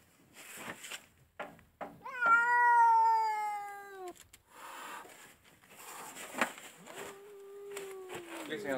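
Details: Female house cat turned angry while guarding her kittens gives a loud, strained, falling yowl lasting about two seconds, then a shorter, lower wail later, amid rustling and people talking in Polish.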